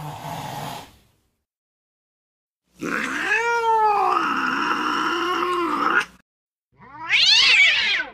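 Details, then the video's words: Angry cat yowling: a short noisy burst, then a sustained three-second wailing meow with a rising start and wavering tone, followed by a harsh, rough squall. "Angry Cat Sounds | Cat Meowing Angry"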